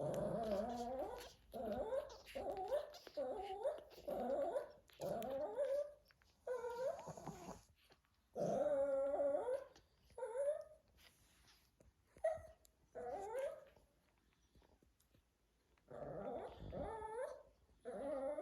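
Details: An adult male Shih Tzu, father of puppies, whines in repeated wavering, nasal bursts, each about a second long, with brief pauses between; at Thanksgiving.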